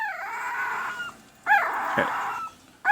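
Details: One-week-old red/sable male Pembroke Welsh Corgi puppy from an April 2020 litter, handled while being shown: a long, high, steady whining wail, then sharp rising yelps breaking into renewed cries near the middle and at the end.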